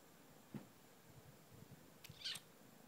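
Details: Female Bengal kitten, 12 weeks old, newly brought home in Concord, North Carolina, gives one short, high, thin squeak late in the recording, after a soft low thump near the start; otherwise quiet room noise.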